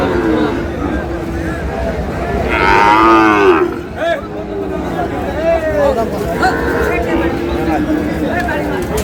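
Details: Sahiwal bull calves, a pair of one pure Sahiwal and one Sahiwal cross, at a busy cattle market near Sylhet, Bangladesh: a short, rising and falling moo midway, with men talking and bargaining throughout.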